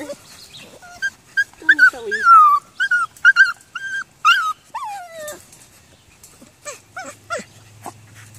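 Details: Twelve-week-old foster puppies, littermates playing outdoors on their last day with their foster family, give high rising and falling whines and squeals, sliding from about mid pitch upward in bursts, with short yips near the end and a person calling.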